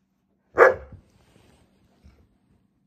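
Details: Burton, a pet Alaskan Malamute, yelling at his owner while happy, sad or annoyed; a single loud bark-like yell falling off quickly, then near silence with a faint thump, owner's questions around it.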